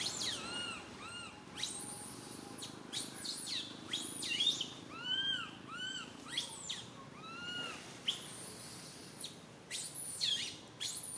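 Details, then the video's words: Young monkey Santo cries loudly on a branch while mother monkey Sara struggles to care for him; a series of arched, rising-then-falling wails and sharp squeals come in bursts with short pauses, little background noise. "Little Monkey SANTO cries on the branch tree so loudly Mama monkey SARA can't take care of him"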